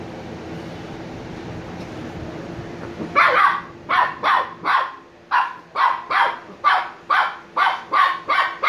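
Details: Sleepy Shiba Inu puppies Niro and Kyno, aged 86 days, start barking after three seconds of hum: a steady series of clear, yelping barks, roughly two per second, keeping on to the end.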